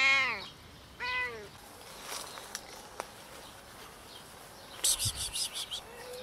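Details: Two short meows from homeless cats, part of a group of four scared strays coming for food, each a brief falling cry a second apart, then clicks, rustling and a faint final mew outdoors.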